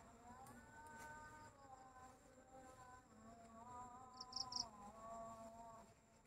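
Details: Village bee buzzing steadily, its drone rising and dipping in pitch as it moves about, with a short burst of three high cricket chirps just past four seconds.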